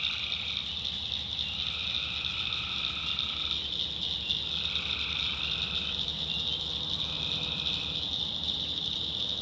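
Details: Tree frogs calling at night in a North Carolina backwoods swamp: a dense, steady high-pitched chorus drone, broken by lower harmonic trills about two seconds long that recur three times.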